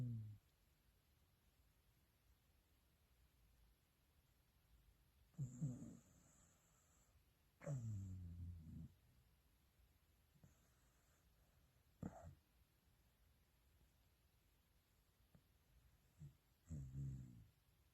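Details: A corgi (Canis familiaris) in deep sleep snores in low, rumbling bursts with long quiet gaps between breaths.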